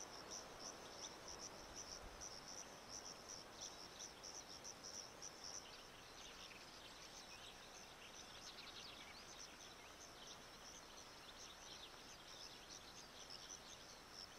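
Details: Sciobia cf. caliendrum crickets in chorus, with a male in front of his burrow, Zahara, Andalusia, Spain, 17 May 2014: dense high-pitched chirping in a steady band, short pulses repeating rapidly throughout over a faint hiss.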